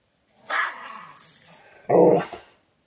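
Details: Siberian Husky "talking" while reacting to a dog app indoors: a drawn-out, grumbling vocal sound, then a louder, rougher second burst about a second and a half later, followed by a person speaking.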